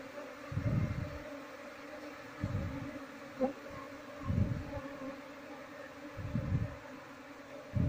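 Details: Honey bees in a colony being relocated to a cultivation box while the queen is searched for; continuous humming drone, with heavy low thuds recurring about every two seconds from handling or movement.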